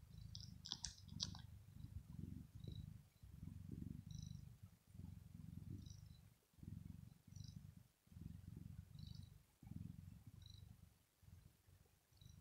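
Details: Sleeping female house cat purring, which is said to show pleasure or relaxation; a steady low rumble pulsing in and out with each breath, roughly every one to two seconds, with faint high ticks above.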